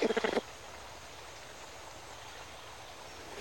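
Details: A mother greater bamboo lemur with a two-week-old baby, in Madagascar's forest, gives a quick burst of harsh, pulsed grunting calls, likely warning another lemur off her bamboo, then falls quiet.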